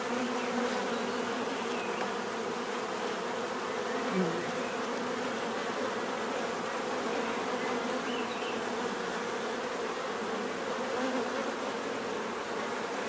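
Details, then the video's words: Many bees humming together in a steady, dense drone, a continuous buzz with bands around a few hundred pitch steps, layered wingbeat tones and faint brief chirps drifting over the swarm-like hum. "bees therapy relaxing natural buzzing sound"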